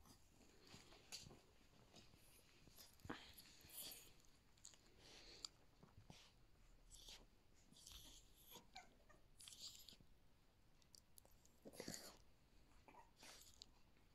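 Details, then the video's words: Yorkshire Terrier puppies, 39 days old, playing together indoors; faint scuffling and snuffling with soft whimpers and brief breathy squeaks scattered throughout, in a quiet small room. "39 days old - Play time | Yorkie Puppies"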